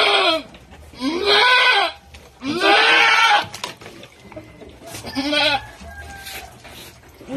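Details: Goat bleating around the time of giving birth: loud, wavering, nasal bleats of about a second each, three strong ones in quick succession, then a fainter fourth, with soft background noise between.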